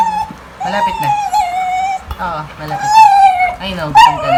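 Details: A pet Beagle in the Philippines, making its everyday funny sounds, gives long, high whining cries that slide slowly downward, with brief low voices between them.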